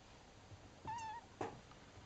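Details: Bengal kittens cuddling one another indoors; one short, clear, slightly wavering meow, then a brief squeaky chirp a moment later, against quiet background hiss.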